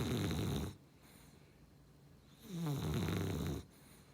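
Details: Snoring Beagle-Cavalier mix dog: two low, buzzy, rattling snores about two seconds apart, with near silence between the breaths.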